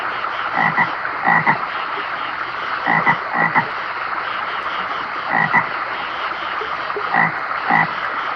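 Brief, grating toad croaks come in close pairs with gaps of a second or more between them. A steady hiss runs underneath throughout.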